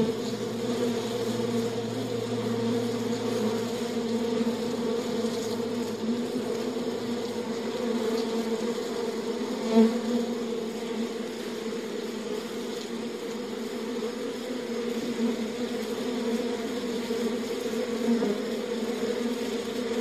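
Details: Beehive ambience: a constant swarm-like drone of honey bees at an even level, low hum layered with a brighter buzz, with occasional faint clicks.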